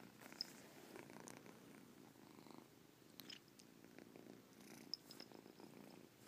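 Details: Pet cat Caspurr gives a gentle rhythmic purr with chirps in it, low pulsed rumbling in breath-length bursts, broken by a couple of brief high pings.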